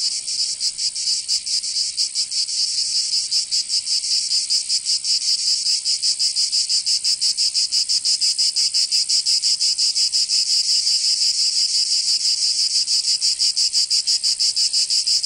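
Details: Cicadas of Provence, southern France, in summer: a continuous high, grating buzz with quick rhythmic pulsing, slightly uneven early on and then steady throughout.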